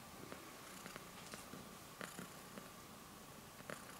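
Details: A little cat purring as it kneads with its paws. A quiet, continuous low rumble is heard with small rustling clicks near the second and fourth seconds.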